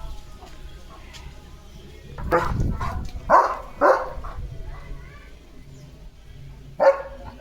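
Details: German Shepherd named Leo barking during an evening walk in lush green fields: three loud, broad barks in quick succession near the middle, a lone bark near the end, with a person talking quietly in between.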